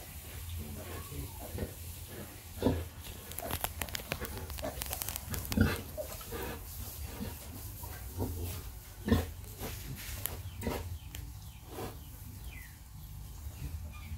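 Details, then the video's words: Domestic pig, a sow suckling piglets: deep grunts come at irregular intervals, a few louder ones standing out, with scattered clicks and a steady hiss underneath. "Pig breastfed piglets"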